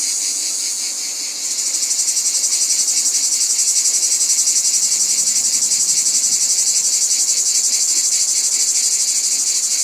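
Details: High, shimmering cicada chorus: a brief smooth hiss gives way after about a second and a half to a strong, fast, regular pulsing drone that holds to the end.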